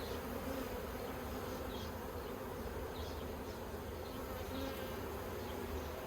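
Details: Hive of honey bees in Australia, yellow hive fitted with plastic frames, 9 October 2021: an unbroken low droning buzz of many bees with a faint whirr layered over it.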